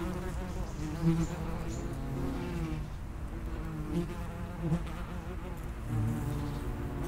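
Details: Common wasps around the entrance to an underground nest, a continuous low hum of many wings with wavering tones and occasional closer passes.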